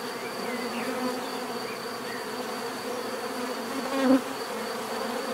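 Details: Bees humming in a calm natural setting, the swarm's drone steady until one insect passes close near the end, briefly louder and lower in pitch.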